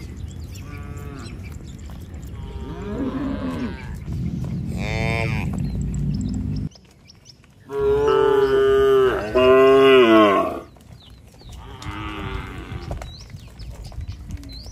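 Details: Herd of tame cattle heading home to the shed in a village, calling each other: several overlapping moos of varied pitch, two loud sustained bellows in the middle, softer lowing before and after.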